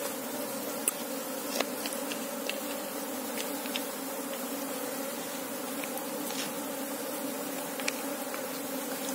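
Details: Asian honey bee (Apis cerana) colony humming while someone searches the hive for its queen: a steady, dense drone with a low tone and a brighter overtone, unbroken for the whole stretch, with scattered sharp clicks and taps.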